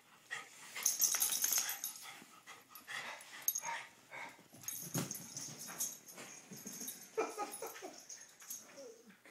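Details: Two dogs having fun playing: repeated huffing, wheezy breaths and short grunting bursts, with occasional whimpers, scuffling and human talk.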